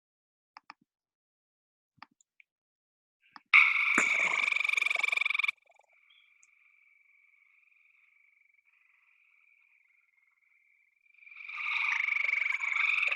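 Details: A gray treefrog in Ohio, a tree-dwelling frog that rarely comes down, gives loud, musical trills, each a rapid burst of pulses lasting about two seconds.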